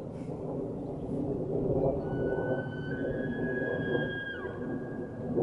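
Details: Two bull elk bugle back and forth at each other on a golf course in Estes Park, Colorado; long, pure high whistles hold steady for a couple of seconds before breaking downward, over a constant low wind rumble.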